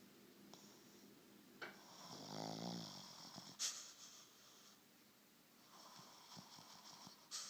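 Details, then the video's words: Wally the dog snoring while taking a siesta; a soft, quiet recording with a drawn-out rattling snore near the middle, framed by faint breathy hisses and a few small snorts. "Dog snoring!"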